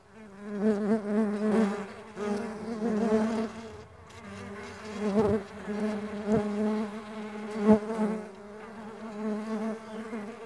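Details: A pulsing drone of farmed stingless bees, the buzzing swelling and fading every second or two as insects pass close, with a few short sharp taps in the second half.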